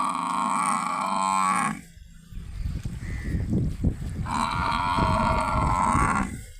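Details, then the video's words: Village water buffaloes bathing in water and grazing on fresh green grass. Two long, steady, deep moaning calls rich in overtones, each nearly two seconds, separated by a pause filled with low thumps and rustling. "Buffalo Bathing,💦 Grazing &🪴☘️ Natural Sounds"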